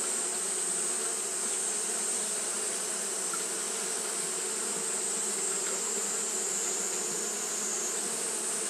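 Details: Japanese honey bees fanning continuously in the heat, a dense steady hum with a sharp high-pitched hiss on top, unchanging from start to finish.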